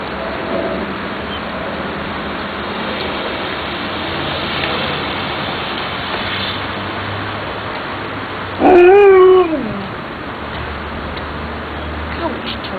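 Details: Pet dogs, a female Siberian Husky and a female Bluetick beagle raised together from puppies; one gives a single short whining cry, rising then falling, about a second long, over constant steady hiss.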